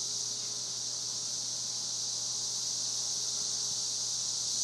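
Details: Many cicadas calling loudly in Spring Hill, Tennessee: a dense, steady, high-pitched buzzing drone that holds without pause or change in loudness for the whole stretch, with a faint low electrical-like hum underneath.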